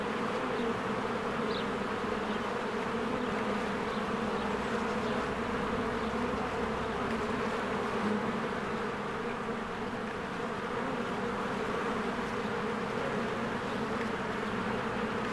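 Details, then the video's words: In spring, crowds of bees stream to and from their hive. A constant layered hum of many wings carries on throughout, with a single faint high chirp early on. "1 Hour of a Beehive ASMR"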